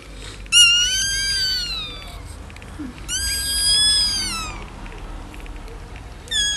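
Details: Newborn Schnauzer puppies at birth crying: two drawn-out, high, squealing wails of over a second each, arching up then sliding down in pitch, with a third cry beginning at the end over soft background rustle.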